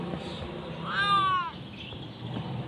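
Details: A single short, bright meow from a hungry kitten waiting to be fed, rising then dropping, with light background room noise.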